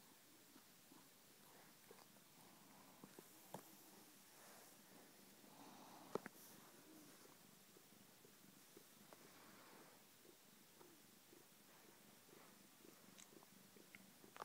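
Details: Pet cat purring while snuggling on a lazy Sunday; a soft, continuous, low rumbling purr, quiet and steady throughout, with a few faint clicks and rustles indoors.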